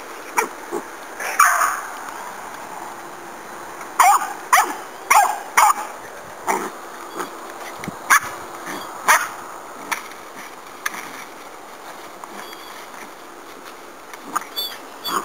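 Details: Puppy barking at a pig during hog-hunting dog work, giving short sharp yips and barks in irregular bursts, several close together around four to six seconds, then scattered single barks with faint outdoor background.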